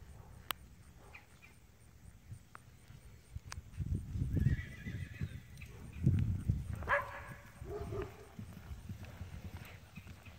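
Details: Colbolt's Sunrise, known as Sunny, a registered 2001 blood bay Tennessee Walking Horse mare standing 14.2 hands, gives a short high whinny late on, amid steady hoof clip-clops and a low, rumbling background.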